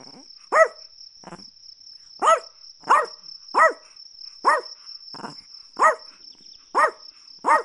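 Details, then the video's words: Repeated shrill barks from a Chihuahua, about nine clear yaps in under eight seconds plus a couple of fainter ones, irregularly spaced, with a constant high-pitched insect-like whine underneath. "Chihuahua Barking Sounds"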